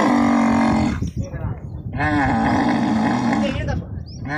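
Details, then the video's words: Camel at the Islamkot camel market in Tharparkar, being loaded into a truck: a steady, deep, harmonic bellow for about a second, then a wavering, gurgling grumble that rises and falls for almost two seconds before fading. "Camel mandi Islam kot lod in tarck"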